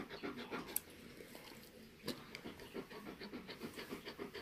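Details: Tala, a female Alaskan Malamute in labour before delivering ten puppies, breathing heavily from discomfort; rapid rhythmic panting at about three and a half breaths per second, with a few sharp clicks and knocks in the room.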